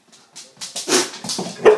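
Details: Huntaway cross dog reacting to a whoopie cushion: a quick series of about five short, rough, broadband bark-like bursts in under two seconds, growing louder toward the end.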